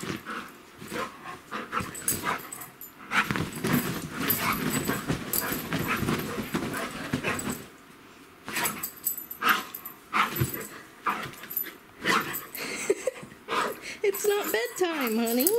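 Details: Golden retriever, a male, racing in tight circles on a bed at bedtime; steady rapid panting runs through dense rustling of bedding, with a short pause midway and a high whiny tone at the close.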